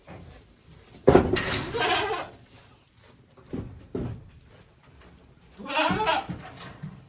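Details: Goat kids a single day old at Yoshigake goat farm, Japan, 17 April 2024, giving two rough, breathy bleats about five seconds apart, with soft knocks between them.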